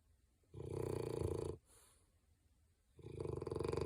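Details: French bulldog Digger snoring in his sleep: a loud fluttering snore of about a second, a soft breathy exhale, then another rattling snore starting as the first trails off, in a quiet room.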